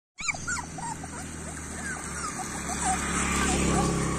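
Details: Street dog puppies whimpering: a run of short, high, thin whines that rise and fall several times a second, over a steady low mechanical hum with a brief voice.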